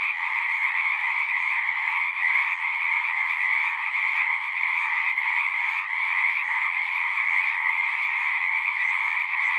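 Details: A great many frogs trilling together, a constant pulsing wall of high and mid-pitched croaking that swells slightly now and then but never stops.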